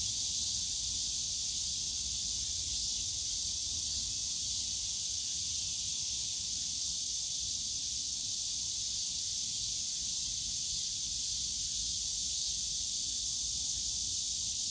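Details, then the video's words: A wall of cicada sound in the Yongsan Family Park bamboo forest on a summer day: intense, even, buzzy shrilling sustained for the whole stretch, with faint flickering pulses up high and a dim low background hum. "용산가족공원 대나무숲 매미소리"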